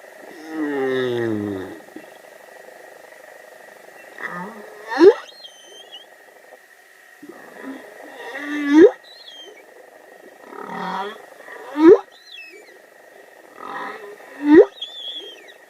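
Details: Humpback whale song: a long wavering groan, then repeated phrases of low moans ending in sharp upswept whoops roughly every three seconds, with faint high squeaks between.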